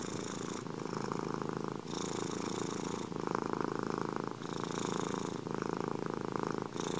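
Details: Domestic cat (Felis catus) purring steadily, a low continuous rumble pulsing in and out with each breath.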